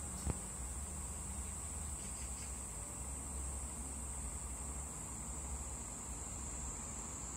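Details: Cicada on a cherry tree, giving a continuous, very high, steady shrill buzz that holds one pitch for the whole stretch, over a low rumbling background and a single faint tap near the start.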